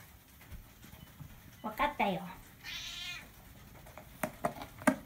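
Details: CoCo, a Siamese cat, in conversation with its owner: a person speaks briefly, then the cat answers with a high, drawn-out harmonic meow, followed by a few clicks and taps.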